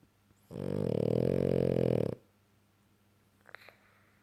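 A French Bulldog lets out a single heavy snore, a coarse, rattling drawn breath with a buzzy, growl-like texture. It stops abruptly, and after a pause there is a faint click or two.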